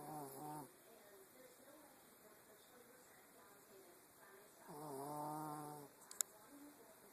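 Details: A Yorkshire Terrier asleep and snoring: two raspy, buzzing snores, a short one at the start and a longer one about four seconds later. A faint click follows near the end, over a steady background hiss.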